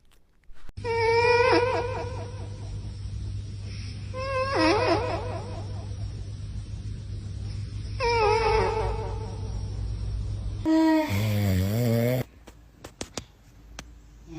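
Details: Snoring cat, breaths drawn as whistly, wavering nasal tones roughly every three and a half seconds, each with a buzzy harmonic edge, over a steady low hum; a different, descending wheezy sound cuts in briefly near the end.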